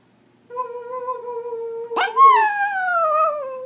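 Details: Pomeranian singing in India: a flat, sustained tone that breaks into a sudden yelp, then a long, slowly falling howl with a gentle waver.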